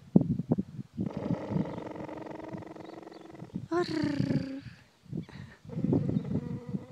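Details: Eddie, a cheetah (Acinonyx jubatus), purrs in a deep, rapid, throbbing rumble like a kitten, relaxed and content in a person's company, with a voice speaking softly alongside.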